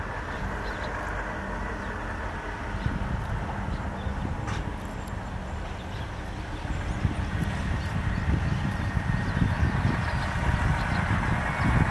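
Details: Steady low rumble and thumping noise, like wind or a passing vehicle, with no clear animal calls.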